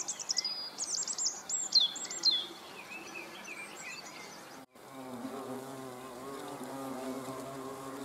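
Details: Hornets observed at close range on 30 June 2020. Lively high bird song and chirps fill the opening seconds. A steady low hornet buzz then takes over after a brief silence.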